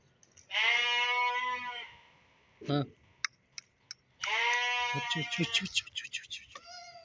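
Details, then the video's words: Young fat-tailed sheep released from a closed pen for exercise give two drawn-out wavering bleats, separated by a thud and clicking sounds, with a man's voice nearby. "چھوٹے بھیڑ دنبے ،بند جانوروں کو کبھی کبھی کھولنے ان کی ورزش ہوتی ہے"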